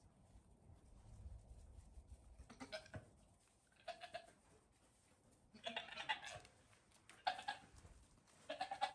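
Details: Five-day-old goat kids playing at bedtime with their mother at a farm, several short wavering bleats in bursts near three, four, six, seven and nine seconds, over low rumbling background noise.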